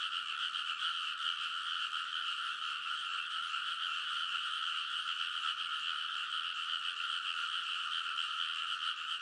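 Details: Frog chorus from rice field ridges in Konosu, Saitama, deep in an early-summer night, recorded using a TASCAM Portacapture X8; countless croaks merge into a constant shrill drone with no pauses or other sounds.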